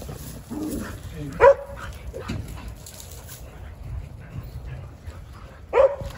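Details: Jindo dogs on a December winter Saturday morning: two short, sharp barks about four seconds apart, the rest quiet with a man talking in Korean between them.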